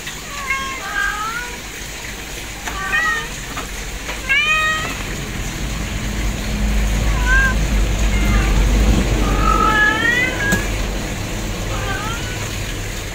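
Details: Kittens meow repeatedly: a busy string of high, bent mews, some stacked and overlapping, recurring every second or two over a continuous low engine-like rumble that swells in the middle.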